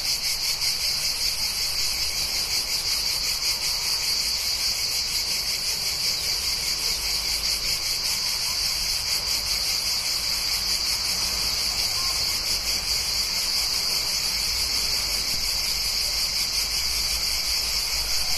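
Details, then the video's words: Cicadas near a town in summer, a dense unbroken high-pitched buzzing drone that holds steady throughout, with a low rumble of passing cars underneath. "Cicadas and Cars Near Town"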